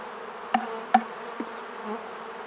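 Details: Honey bees give a steady, low droning hum with an even tone, broken by a few sharp wooden knocks as hives are worked in autumn for Varroa control and stimulation.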